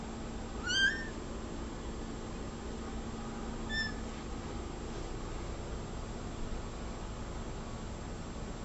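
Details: One clear, short upward meow from a domestic cat, then a much fainter chirp a few seconds later, with only a quiet, steady room hum afterwards.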